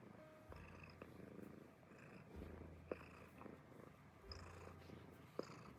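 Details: An American Shorthair cat purs in a steady, low, rumbling rhythm, a sound it makes when relying on its family.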